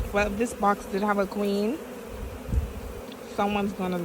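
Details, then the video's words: Bees from a caught swarm buzz right by the microphone in repeated loud, flat droning bursts, each under half a second, over a steady background hum, with a short lull in the middle. "Caught a bee swarm"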